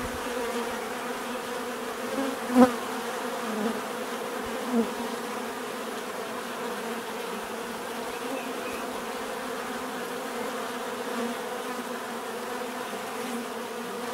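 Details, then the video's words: A swarm of bees hums steadily at mid pitch, softer than before, while one louder bee passes close near the start and a couple more brief swells follow. "bees therapy relaxing natural buzzing sound"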